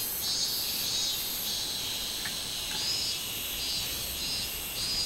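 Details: Minmin cicada on 24 July 2016, a dense, continuous high-pitched buzzing with gentle rhythmic swelling, steady throughout the short stretch.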